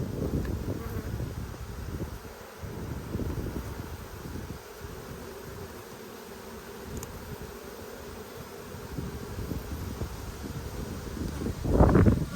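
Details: Honey bees of a strong colony during a hive inspection in Australia, 5 February 2022, amid a dearth with little food around; a dense, low, rough hum pulses unevenly throughout, with a sharper burst of noise near the end.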